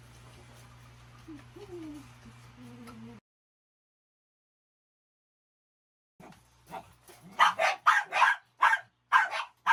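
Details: Pet dog, excited and noisy as it is taken out to poo. High, wavering whines rise and fall, then after a pause comes a rapid burst of about seven sharp, loud barks and yips over a low electrical hum.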